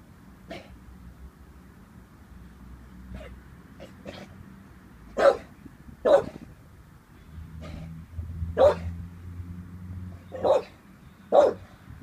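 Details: An 18-month-old Staffordshire Bull Terrier wary of a balloon gives scattered sharp barks at irregular intervals, with low rumbling household noise in between.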